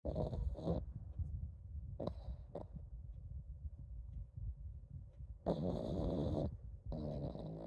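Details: Komame, a pug, snoring on and on, so that it is unclear whether she is actually asleep: low, rough rumbling breaths repeating quickly, broken by short bursts of brighter broadband noise.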